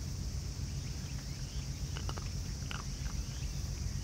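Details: Family of raccoon dogs eating together, crunching food: a few sharp, crisp clicks clustered near the middle, set over a constant low rumble and steady high hiss.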